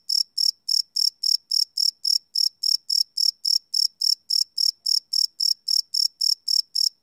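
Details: A cricket calling at night, field-recorded live on a Sony PCM D100: bright, piercing chirps repeated in a quick, regular beat near four per second, the only sound present.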